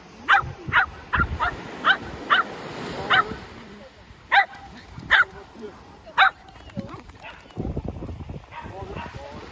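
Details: Shetland Sheepdog worked up during a ball game, a run of quick sharp barks, then a pause and three more spaced barks, with voices and shuffling noise near the end.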